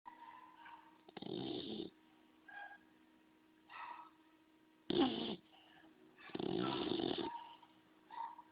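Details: Sleeping bulldog snoring: three long, loud, noisy breaths spaced a few seconds apart with softer snuffling sounds between them, and a steady faint hum in the background.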